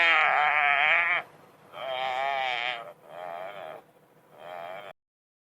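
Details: Crocodile-caught wildebeest gasping for breath amid African migration, giving four strained, quavering nasal moans in a row, the first longest and later ones shorter, then silence.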